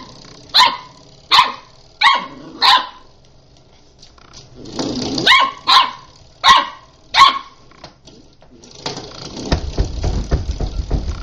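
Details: Puppy at play yapping in a quick run of about nine high, clipped barks roughly every second, followed by a burst of scuffling, rustling noise.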